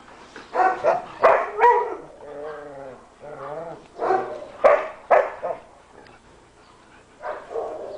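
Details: German Shepherd rescue dogs at Coastal German Shepherd Rescue OC: bursts of sharp, harmonic barks in irregular clusters, with softer tonal whines between them around the second and third seconds.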